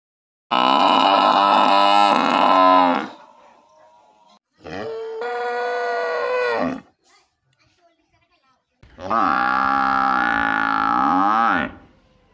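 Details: Buffalo or cow in a village giving three long, drawn-out harmonic lowing calls of about two to three seconds each, separated by short quiet gaps, with a slightly wavering, moaning pitch.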